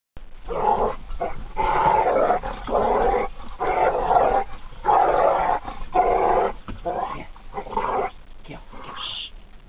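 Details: Pitbull and dachshund, Harley and Lily, fighting: rough, noisy growls in near-continuous bursts of about a second each, broken by brief pauses, with a short high squeak near the end.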